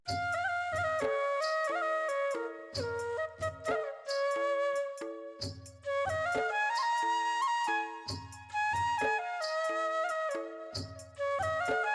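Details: Folk-style flute melody over a plucked, rhythmic accompaniment, with brief pauses and no animal calls.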